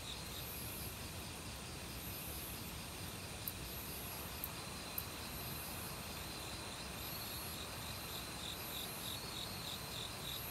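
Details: Autumn crickets in a forest, singing alongside various other insects over a steady rush of valley stream water; high pulsed trills repeat in rapid beats, layered with a faint continuous higher buzz.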